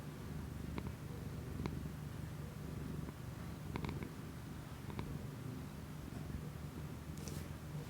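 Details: Domestic cat purring indoors, recorded close up with an external microphone on an iPhone; a steady low rumbling purr runs throughout, with faint clicks and a brief rustle near the end.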